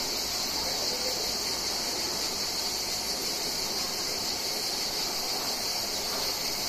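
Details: Cicada. A chorus of cicadas fills the air with a continuous, shrill buzz, bright and high-pitched like rushing static. The sound holds even and unbroken throughout, with no other clear voices above it.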